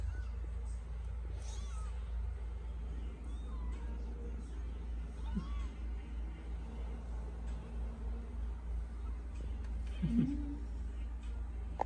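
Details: Kittens heard as faint, short rising and falling meows scattered through the recording, with a low steady hum underneath and a person speaking briefly.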